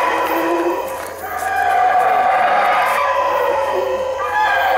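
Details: Howler monkeys calling from the treetops in Belize, boisterous and loud; a dense, continuous roaring chorus with rough harmonic bands, swelling after a brief dip and holding steady.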